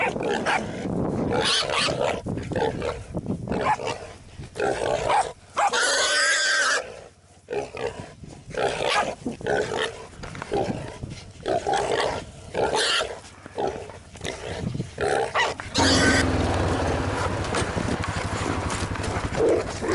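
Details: Jack Russell Terrier out boar hunting, giving harsh barks and growls in rapid, uneven bursts. A long harmonic squealing cry comes midway, and steady rustling noise takes over near the end.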